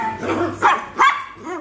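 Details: Poodle in the Philippines giving two short, sharp barks about a third of a second apart, with quiet background noise between them.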